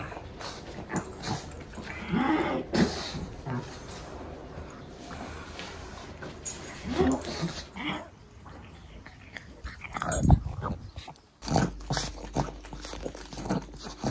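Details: Pug named Pangpang making snuffling snorts indoors, uneven breathy bursts with a few louder huffs around the middle and later, a voice faintly present.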